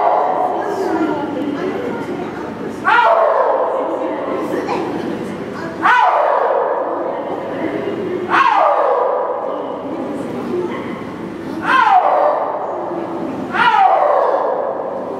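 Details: A six-year-old male snow leopard at Maruyama Zoo, calling at length on 10 January 2012, possibly in breeding season. Loud, harmonic, moaning cries come in a series roughly every three seconds, each starting abruptly and then sliding down.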